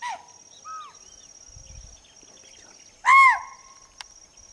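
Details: A chital (spotted deer) in forest, apparently Betla National Park, gives an alarm call: a sharp, shrill bark, a single loud arched yelp after fainter calls.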